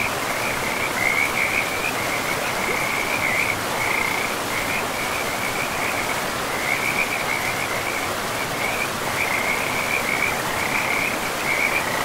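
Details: Frogs by a river deep in a pristine forest, giving short, high, chirping trills in bursts that repeat steadily across the whole stretch over a constant loud rush of flowing water.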